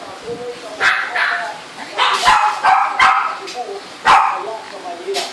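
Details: Coco, a Shih Tzu, lets out several loud barks spaced roughly a second apart, with people talking underneath.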